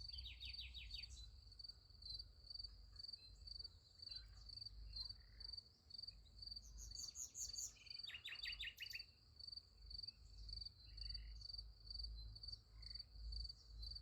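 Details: Night chorus of crickets beside a sunflower field: a steady, high, evenly pulsed chirping. Bursts of rapid higher trills from other callers join in, with a low rumble throughout.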